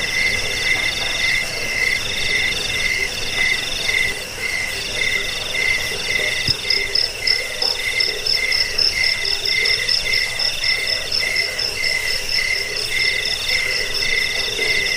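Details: Crickets chirping in a recording offered against rats, as a lullaby and for bird song training; overlapping shrill pulse trains, a bright middle chirp repeating steadily while a higher trill fades in and out, one brief click midway.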